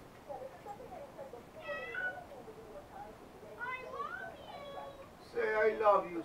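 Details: Domestic cat meowing indoors beside a love seat, recorded on a helmet camera; three short rising-falling meows spaced about two seconds apart over a background of low murmuring voice-like sound.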